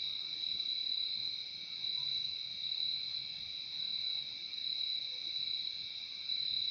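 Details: Crickets trill in a constant, piercing high buzz layered over a slightly lower steady tone, the chorus pulsing gently in volume against an otherwise calm, still background.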